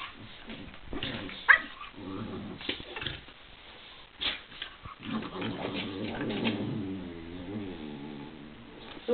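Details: Two spaniels playing together; low growly vocal sounds and harmonic whines with snuffling and scuffling, a brief high yelp near the start, irregular bursts throughout.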